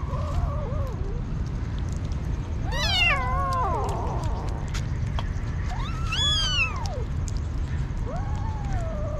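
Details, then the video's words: Hungry street kitten meowing insistently: several drawn-out, wavering cries, one sharp rising-falling squeal around the middle and another arched meow later, over steady low traffic-like rumble. "Crazy Hungry kitten"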